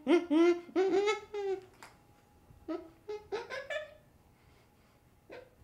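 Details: Young chimpanzee voicing rapid, laughing or whimpering harmonic notes, loud at first, then softer scattered yelps with short gaps, in a small indoor room with a faint steady hum behind.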